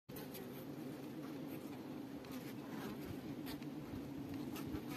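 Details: Western honey bees (Apis mellifera) at a hive fill the air with a steady, low droning hum of many wings buzzing together.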